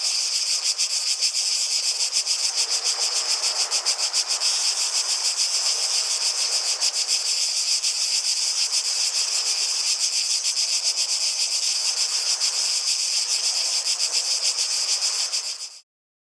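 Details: Loud cicada chorus, a continuous high shrill buzz with fast rhythmic pulsing held evenly for about fifteen seconds before cutting off abruptly.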